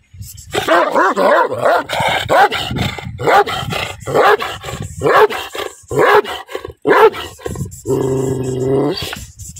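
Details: Angry dog barks fiercely in a long, irregular run of harsh barks, broken by a steady low growl near the end before barking resumes.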